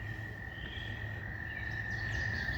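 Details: Toads give a long, steady, high trill on one even pitch, calling as they start breeding in flooded, rain-soaked woods in spring (May 2); faint bird calls including a woodpecker and red-winged blackbird above, low background rumble.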